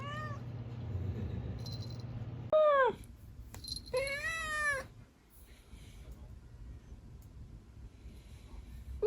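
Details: Female kitten, aged 16 weeks to 11 months, gives two clear meows: a short sharp rising-falling one, then a longer high wavering one about a second later. Quiet room noise between them.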